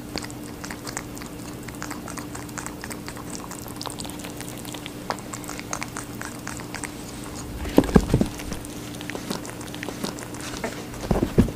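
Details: Watermelon being eaten by a rabbit, soft wet crunching at first, then a few louder, sharper bites and thumps near the end, with a faint steady hum underneath.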